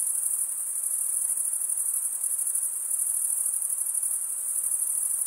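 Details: Crickets, males stridulating by rubbing one wing along the toothed vein of the other, give a dense, continuous high-pitched trill with fine rapid pulsing and steady loudness, no other sounds heard.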